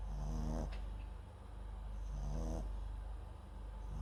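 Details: Sleeping MAX, a Papillon and Japanese Chin cross, snores into a nearby microphone: two short, vibrating snorts about two seconds apart, with a whispery hiss and quiet breathing between.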